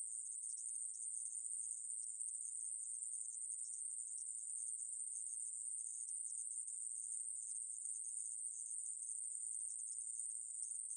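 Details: Continuous high-pitched sizzling trill from the Korean katydid aemaeburi, from a National Institute of Biological Resources recording made in 2020. The buzz never pauses or changes pitch, and the background is silent.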